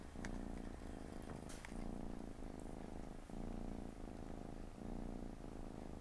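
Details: Purring from a Siamese cat lying with four kittens on a Saturday afternoon; deep vibrating rumble alternating inhale and exhale phases about every second, brief gaps, faint scratchy noises above.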